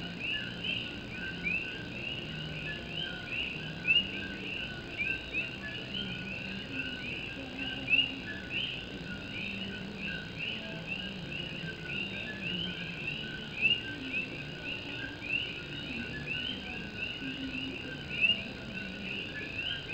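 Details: Puerto Rican coqui frogs sing at night in Morovis, Puerto Rico, as rain drums on an old tin roof. A dense chorus of short rising whistles fills the background, and a louder upswept note stands out every few seconds.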